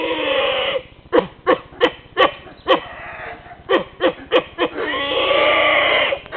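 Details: Howler monkeys at Tikal, Guatemala, roused by a guide's clapping and noises; very loud squealing, pig-like calls alternate with a run of about nine short harsh grunting pulses, then more drawn-out roaring squeals.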